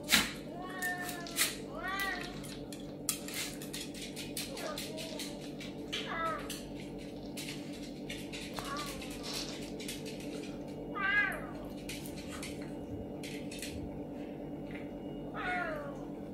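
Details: A serval, interacting with a pinscher dog, gives wavering, meow-like cries that rise and fall, spaced a few seconds apart.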